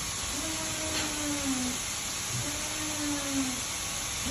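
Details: Siberian Husky during breeding, the pair playing with each other: two drawn-out, even whines, each about a second long and dipping slightly at the end, over a steady hiss.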